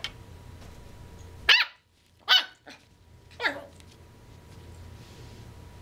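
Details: Corgi puppy, nine weeks old, barking to get another dog to play: three sharp, bright yips about a second apart, the last one falling in pitch, over a low steady hum.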